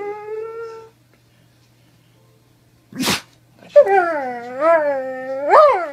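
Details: Doberman voicing a short steady whine, then silence and a brief noisy burst, followed by a wavering, yodel-like howl that dips and rises in pitch with a final upward swoop.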